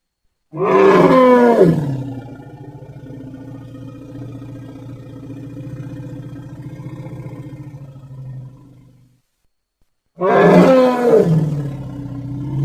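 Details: Elephant letting out a sudden, loud, bending bellow that drops into a long, even, low rumble lasting about seven seconds; after a short silence a second bellow begins.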